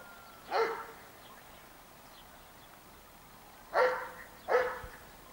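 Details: Dobermann barking: one deep bark, a pause of about three seconds, then two more barks close together, each short and gruff, over a quiet background.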